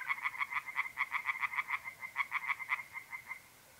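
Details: Pond tree frogs chorus on a mid-April night in north-east Italy, giving fast runs of harsh, knocking croaks that overlap slightly. Quick stuttering pulses continue for over three seconds, then fade to a faint background trill.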